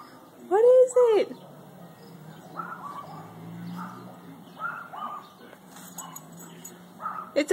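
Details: A Shiba Inu in a grandmother's back yard gives one loud, rising-and-falling yelping bark at a bird stuck in a bush. A man's soothing voice follows, then a second short bark at the end.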